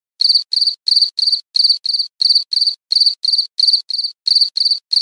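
An insect gives high, shrill chirps in quick pairs, repeated steadily against silence.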